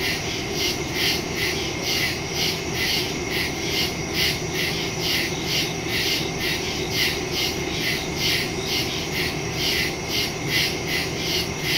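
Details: Nighttime woodland crickets, recorded on September 2, 2023, with a phone and stereo microphone: a continuous chorus of bright, rhythmic chirps pulsing about twice each second, several insects layered above a constant high buzz.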